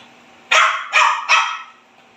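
A Pekingese gives three sharp, high barks in quick succession.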